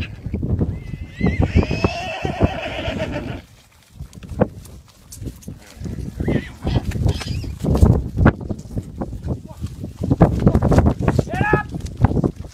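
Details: Welsh ponies in a group being fed on Gelligaer Common, South Wales: a long wavering whinny at the start and a shorter rising neigh near the end, amid snorts, hoof clatter, low rumbling and people talking.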